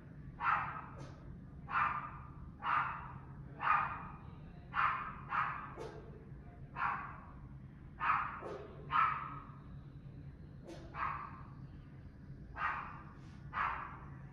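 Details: Incessant barking dogs heard from a residential building, July 2021 at 5 pm: a long run of distant, reverberant barks about one per second, some doubled, above constant low-pitched background hum.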